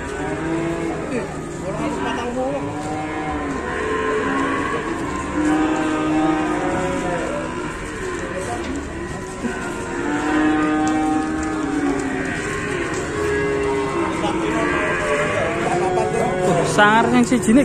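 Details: Moos from a fierce cow at an Indonesian livestock pen: long, wavering harmonic lows that overlap almost continuously, with a constant background hum and faint vehicle-like noise.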